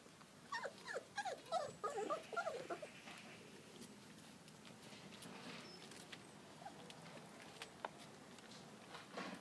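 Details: Four-week-old field trial Labrador Retriever puppies in a garden, taking first steps and eating porridge; a burst of high, wavering whimpers and squeaks in quick succession over the first three seconds, then quieter clicks and rustling.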